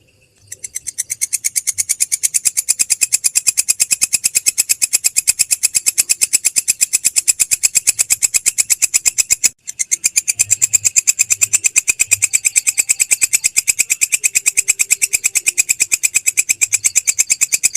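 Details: Belalang krek grasshopper, a training recording for songbirds: a fast, steady train of dry, hissing clicks, even and unbroken apart from a brief dropout near the middle, high-pitched with no low tones.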